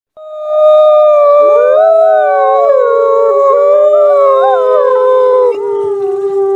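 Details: Several wolves howling together at night, overlapping long tones that weave up and down against a steady, held lower howl, forming a dense, wavering chorus.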